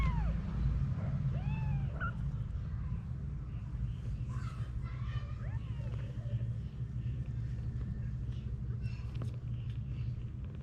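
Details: Domestic cats, mother Anna with her kittens: a few high, arched mewing calls in the first two seconds, then softer mews around five to six seconds, over a constant deep rumbling background.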